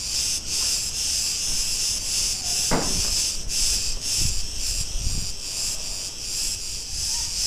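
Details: Street in Ierapetra, Crete, Greece, full of Cretan cicadas: a loud shrill rattling buzz pulsing about twice a second, broken by a short sharp click and a couple of soft low bumps.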